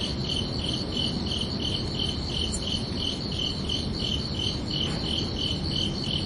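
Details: Crickets chirping under a night sky: steady pulsed chirps, high and bright, about three per second in an even rhythm over a soft, broad rumble of background noise.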